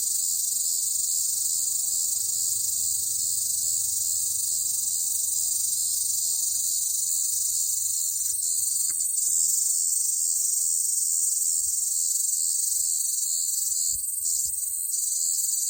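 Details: Cicadas on a hot summer day produce a loud, continuous high-pitched buzzing drone that fills the air without pause, with brief faint flutters near the end.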